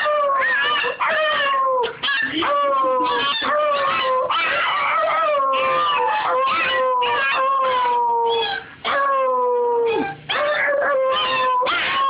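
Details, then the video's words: Puppy being taught to howl: long, drawn-out tones that slide slowly downward, overlapped by higher wavering whines and short yelps, with brief breaks between bursts over twelve seconds. "Teaching a puppy to howl!!"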